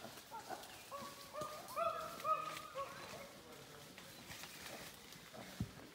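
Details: Wild chimpanzees in Uganda, in the trees and on the ground and heard by trackers before they are seen, give loud tonal hoots and wavering cries.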